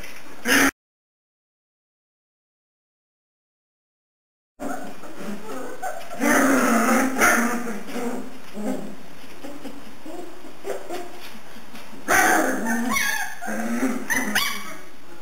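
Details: Puppies aged three and a half weeks, indoors at home in the morning. A brief call opens, then silence. Clustered whining grunts and squeals follow, fading and returning in bursts amid rustling movement.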